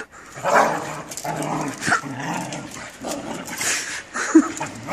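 Rough, throaty growls and snarls come in uneven bursts from Australian Shepherds squaring off. The harsh, rumbling noise rises and falls with sharper yelps, the sound of aggression during a fight.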